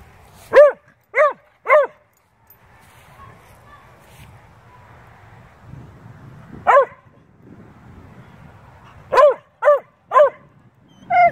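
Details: Beagle/shepherd mix and bluetick dogs vocalizing while playing; clusters of three sharp harmonic barks open and close the stretch, with a single bark between and soft low rumbling in the pauses.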